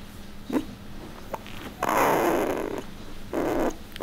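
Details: Puppies, shown alongside Bek: a brief squeaky whine, then two rough, noisy growl-like bursts, one long and one shorter, over a steady low hum.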